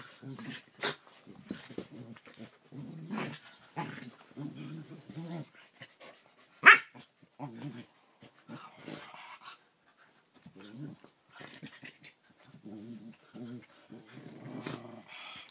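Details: Play wrestling between two Keeshonds, recorded June 1, 2014: softer, intermittent growly grumbles in short runs separated by quiet gaps, with a single sharp squeaky yelp near the middle and occasional clatters and thuds.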